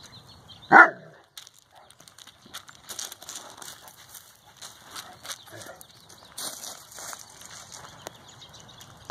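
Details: Central Asian Shepherd Dog (alabay) named Safar, born 31 October 2015, playing with four-month-old puppies; one short, loud bark near the start, followed by quiet scuffling, rustling and soft play noises.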